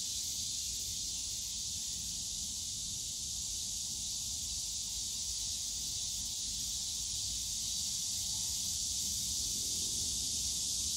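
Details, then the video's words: Cicadas in the bamboo grove of Yongsan Family Park on a summer day: a dense, unbroken high shrilling hiss that holds steady throughout, with faint low rumbling park noise beneath. "용산가족공원 대나무숲 매미소리"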